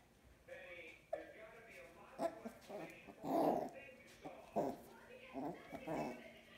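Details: Puppies playing indoors with a squirrel ball give high, wavering whimpers and short yips in uneven bursts, with human voices talking over them in a small room.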